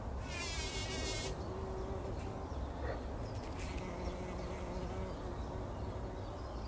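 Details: Early-morning bumblebees working poppy flowers before sunrise in 2019, buzzing in a low steady drone with faint tonal hum lines; a trilling bird sings briefly at the start, then scattered faint chirps.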